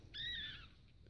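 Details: Newborn Biewer Yorkshire Terrier puppy, a male from a breeder's T litter born on 31 March 2015, gives a single high, thin squeak lasting about half a second, slightly rising then falling, over a quiet background.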